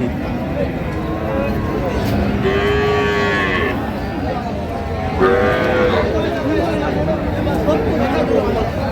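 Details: Cows with calves at Ambari cattle market, Dinajpur, Bangladesh, on 7/9/25. Two long, drawn-out, deep moos, the second rising slightly before falling away, over steady crowd chatter and market bustle.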